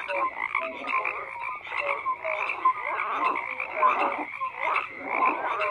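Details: Frogs call in a massed chorus: grating croaks and short pure-toned notes at several pitches overlap, the volume swelling and easing without a break.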